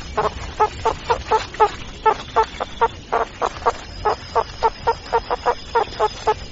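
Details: Meerkats give rapid, evenly repeated short chirping calls, about three to four per second, each a brief mid-pitched burst; a faint steady high tone runs in the background.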